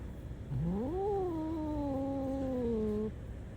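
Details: Black cat giving a long meow that rises then levels off and slowly falls, about two and a half seconds, with a low rumble of background noise and a person urging it to go.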